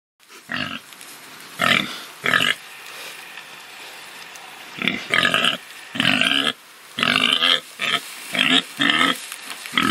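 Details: Domestic farm pig giving about thirteen short, harsh, grunting squeals in bursts, some paired or in quick runs, with a quiet pause near the middle before a denser series toward the end; no other clear sounds.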